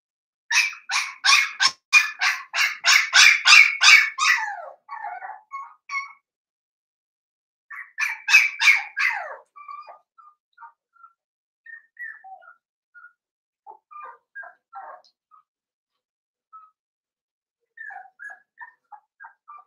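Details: Litter of five blenheim Cavalier King Charles Spaniel puppies in a home puppy pen, barking in a rapid, steady run of sharp high yaps, pausing, then another quick burst, trailing off into scattered soft squeaks and whimpers.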